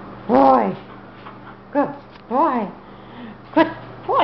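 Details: Rough collie up for adoption, whimpering and yipping; several short, high, arching whines rise and fall in separate bursts about once a second, between quiet gaps.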